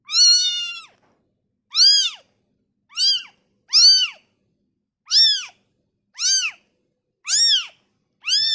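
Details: Freshly born kitten taken from its mother meows insistently, eight short arched cries in rapid succession, roughly one per second, high and piercing with no other sounds.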